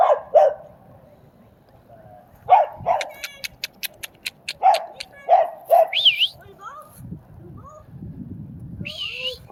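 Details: Dobermann named Nixon at a dog park among other dogs; sharp barks come in quick doubled bursts, about every two seconds, with a run of rapid clicks between them, high squeaky whistles, and a person's voice talking.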